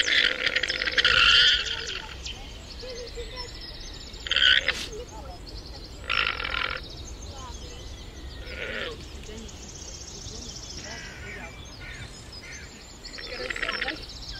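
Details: Llama calls arriving as short, nasal, buzzy bursts every few seconds. A longer bleating one opens the sequence and briefer pulses come later. Quiet background hiss runs between them.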